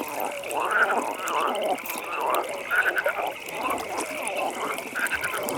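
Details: Frogs at a nighttime pond give throaty, bubbling croaks in uneven bursts about once a second, over a continuous high trilling chorus and soft background ambience.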